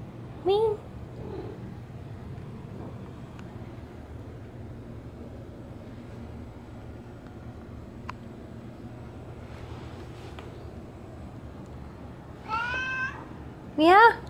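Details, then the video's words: Bean, a pet cat, meowing non-stop at the door while it rained hard: a short rising, harmonic meow near the start, then two more strained meows close together at the end, with quiet room hum and faint voices between. "Grumpy Bean Meowing at the Rain"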